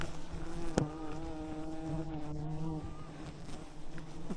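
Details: Thousands of wild bees covering an enormous hive in the jungle canopy as hunters on ropes use smoke to calm them; a steady, rich buzzing drone with several overlapping tones that waver slightly, one sharp knock near the start.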